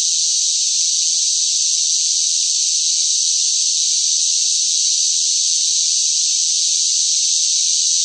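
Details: Summer cicadas calling loudly in the heat. They make one sustained, high, rasping buzz that neither rises nor falls and carries on without interruption, with no other noise present.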